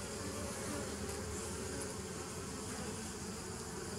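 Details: Bees recorded on 27 September 2018, heavy low-pitched humming with a rumbling undertone and steady hiss, continuous over the whole stretch.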